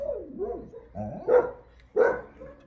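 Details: At the Jindo Dog Theme Park kennels in Jindo County, a Jindo dog gives a short whining yelp followed by two sharp barks about half a second apart.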